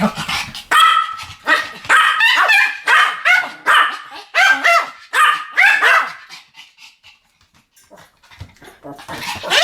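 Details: Pomeranians barking in a duet, sharp high yapping barks in quick bursts for about six seconds, then a quiet pause before faint renewed yips at the end.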